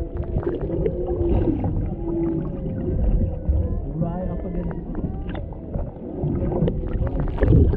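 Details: Humpback whales recorded underwater off Maui, Hawaii, a mother and calf interacting near a boat with a male nearby, on a GoPro Hero 7 Black; low tonal moans and wavering harmonic notes over steady water and boat rumble.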